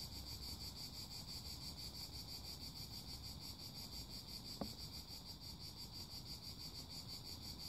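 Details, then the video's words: Chorus of cicadas giving a continuous high-pitched buzzing drone, finely pulsed and unchanging, with one sharp click partway through and a dull low background rumble. "Song CHANT CIGALES - CICADAS"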